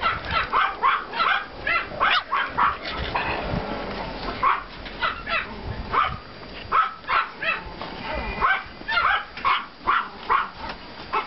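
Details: Yard walk after snow in April 2014: Pomeranian puppies from two litters give shrill, clipped yaps in a steady, bouncing rhythm, roughly two or three per second, with short lulls between runs.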